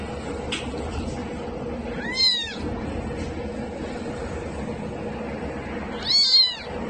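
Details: Cat or kitten giving two separate meows, each a short arching, rising-then-falling tone, about four seconds apart, over a low background hum.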